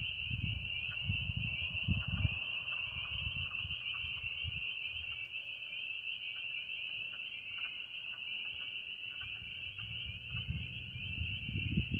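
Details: A dense chorus of spring peepers at a mine pond in western Pennsylvania, their high piercing peeps merging into one continuous shrill ringing.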